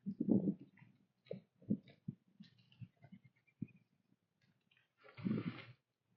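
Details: Sunrise in colorful autumn woods, a whitetail doe with her fawn munching corn: scattered low crunches and short bites, ending in a louder, rougher burst of chewing.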